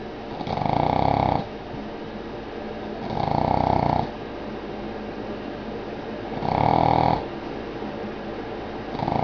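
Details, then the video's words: A female Boston Terrier sound asleep snores loudly, each rasping breath rumbling out roughly every two and a half seconds. "Snoring Boston Terrier"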